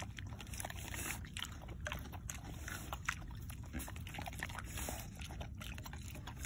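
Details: A male mini pig slurping warm squash and oatmeal soup from a spoon, February 2021: a continuous low, rough grunting murmur with sloshing, wet mouth clicks and occasional sharper smacks.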